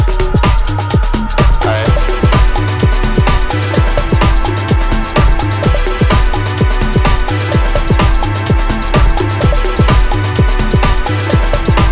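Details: Driving electronic dance track with pounding bass drum and dense synth layers throughout, and no cat or other animal sounds.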